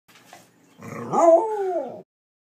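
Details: A Corgi gives one drawn-out howl of about a second, a tonal harmonic wail that rises then slowly sinks and fades, preceded by soft snuffling.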